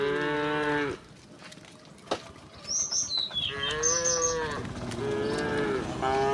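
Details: Herd of tame cows strolling toward a vast pasture on a gentle sunlit morning, giving three drawn-out, deep moos about a second each, separated by a quieter pause in which a small bird chirps in high, quick notes.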